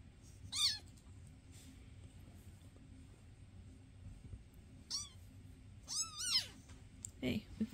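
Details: Foster cats Basil, Oodles and Zimothy indoors, filmed May 22, 2024: several high, arching meows, one early, then one near five seconds and a quick pair around six seconds, over quiet household background.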